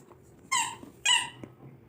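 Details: Labrador Retriever puppy playing with a toy indoors, giving two sharp high-pitched yelping barks about half a second apart, with a faint squeak afterwards.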